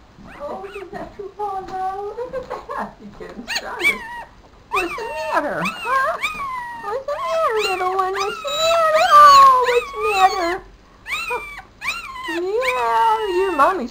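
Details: Four-day-old male Papillon puppy in a black dress shoe whimpers almost nonstop, with high wavering squeals rising and falling in quick runs and brief pauses between bursts. A woman's voice is faintly mixed in.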